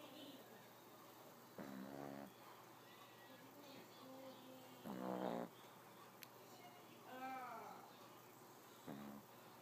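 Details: Cat asleep and snoring, giving four rough, buzzy snore bursts at irregular intervals, with a faint higher wavering sound between them against low room hum.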